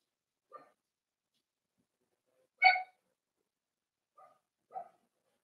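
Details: Cavalier King Charles Spaniel puppies at four weeks old, socializing in their indoor pen; brief harmonic whines, one louder rising yelp in the middle, then two quick small whimpers.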